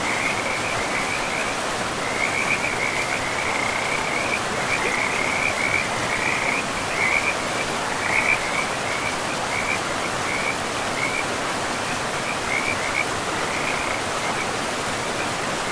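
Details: A forest river with frogs, where a string of quick, trilled high notes comes in short, repeated bursts that rise and fade, half buried under a steady roar of running water.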